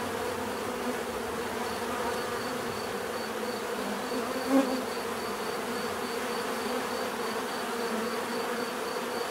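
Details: Bees buzzing in a dense, steady hum, a continuous low drone layered with bands of higher overtones, no breaks or pauses, with a faint thin tone running above and one brief soft click near the middle.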